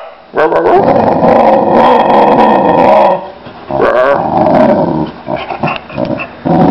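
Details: Lila, a Boxer dog, produces a long continuous growling vocalization lasting nearly three seconds, followed by a second rumbling grumble and scattered shorter yips and snorts, her calls sounding like wow-wow-wow.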